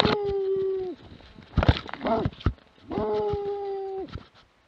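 A Plott Hound gives long, steady, drawn-out baying notes that end with a downward slur.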